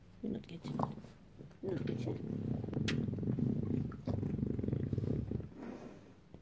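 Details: Bulldog on a Saturday morning, making a low, rumbling, pulsed grunt that runs steadily for several seconds after a short opening snort, in an indoor setting.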